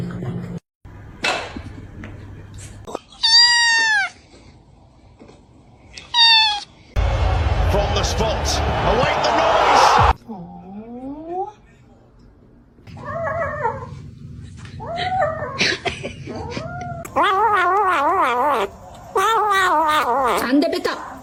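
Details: Series of cat meows, some short and rising, others long and wavering, broken up by people speaking, music and a loud rushing noise.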